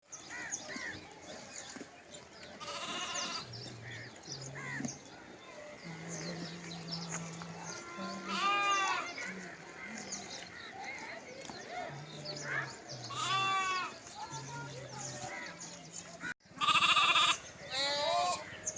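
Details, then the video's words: Lambs calling for their mothers while foraging together bleat in quavering, wavering cries every few seconds over a low, steady hum. "Sound of sheep baby/lambs are singing//Arshad ah vlog"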